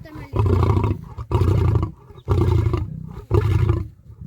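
A lion roars in a series of deep, throaty bursts, each under a second long, about once a second.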